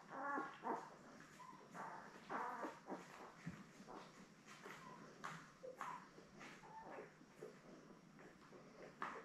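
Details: Seven newborn Labrador Retriever puppies, born May 24, 2021, lie with their mother Belle on a live stream from June 3. Soft squeaks and short whimpers sound faintly over a steady hiss, stronger in the first seconds.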